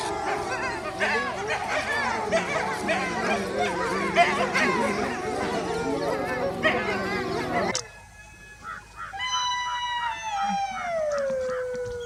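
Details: Wolves in a dense, noisy chorus of overlapping yips and howls, then a single clear harmonic howl that holds and slowly slides downward before fading.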